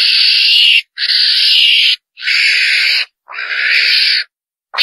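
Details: A civet call used as a hunting lure, said to draw the whole group, gives harsh, rasping screeches about a second long, repeated roughly once a second in a steady series with brief gaps.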